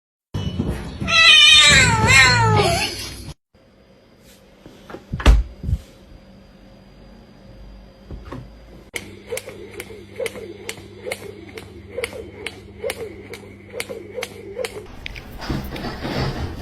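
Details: Cats meowing inside a car, a loud wavering meow series at the start, then a quieter stretch with a steady engine hum and rapid clicking ticks, with laughter and music nearby.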